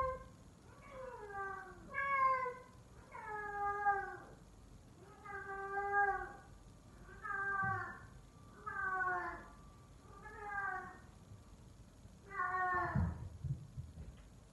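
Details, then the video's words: A male F4 silver Savannah cat, Sittingpretty Solmonath, calls like a lion indoors: eight or nine downward-sliding, meow-like cries, each under a second, repeated about every one and a half seconds, with a soft thump near the end. "F4 savannah Cat calling like a lion"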